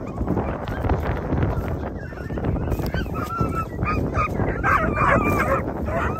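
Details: Segugio Italiano hounds: young dogs of 8 and 17 months together with their father Geko. Short, high, honking yelps and bays come in irregular bursts over a dense, rumbling background, growing busier and louder in the second half.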